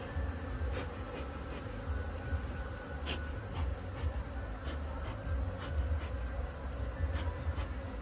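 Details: Buzzing of honey bees kept in a double-decker beehive for honey farming: a thick, low steady hum, with scattered clicks and a faint thin tone in the background.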